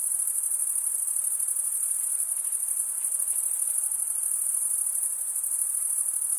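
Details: Steady, piercing cricket chirping, produced as males rub the toothed underside of one wing with the other, pulses as one dense continuous trill with only slight swells in volume.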